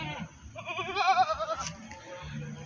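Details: Goat at the Pakis animal market in Malang bleating a shaky, vibrato-laden cry lasting about a second, with people talking and market clatter around it.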